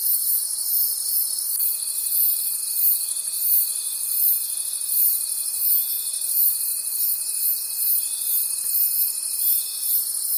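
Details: Crickets calling at night in a forest: a dense, pulsing high-pitched chorus of many insects, with a steady thin tone entering after about two seconds and holding almost to the end.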